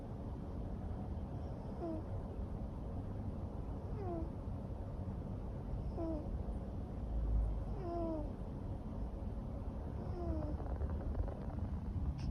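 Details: Long-haired neutered male Ragamuffin cat, born 2014, asleep and snoring; soft descending whistle-like tones recur roughly every two seconds over a steady low rumble of breathing and room noise.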